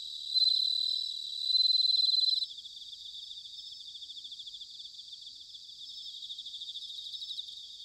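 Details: In autumn at Sanuki, Chiba Prefecture, Japan, bell crickets open with two loud, clear ringing phrases over the first two seconds, then settle into a softer, rapidly pulsing high-pitched trill chorus.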